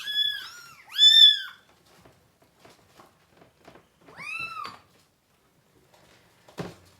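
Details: Kitten, one of three with their mother cat, indoors at feeding time: two loud high arched meows in quick succession, a softer one near the middle, then a thud; otherwise quiet.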